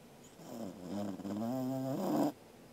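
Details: Corgi snoring while asleep, 13 August 2021: one drawn-out, low, buzzing snore with a wavering voiced tone that swells for about a second and a half, then stops abruptly.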